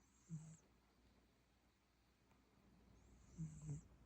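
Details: Sleeping cat snoring: two short, low rumbling snores about three seconds apart, each paired with a faint airy hiss, over a quiet background.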